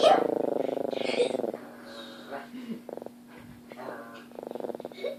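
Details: Chihuahua named Daisy guarding her family against a shadow puppet, opening with a buzzy, rapidly pulsed growl lasting over a second, then quieter rumbles broken up by a person talking.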